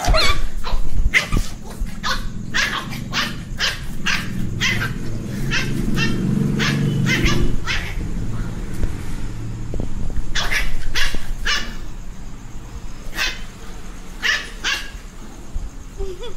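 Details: Angry young dog warning not to be touched, barking sharply again and again in short bursts of quick, clipped barks with brief gaps, while a low murmur of people's voices runs underneath in the middle.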